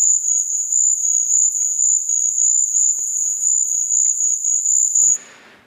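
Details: Insect or insects isolated from the highest band of a forest soundscape recording: a continuous, very high-pitched buzzing trill pulsing in rapid beats for about five seconds, then stopping abruptly.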